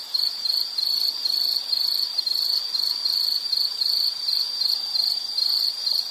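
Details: Shrill insect trill in an outdoor nature recording, sharp pulsed chirps repeating several times a second in a steady chain, background otherwise quiet hiss.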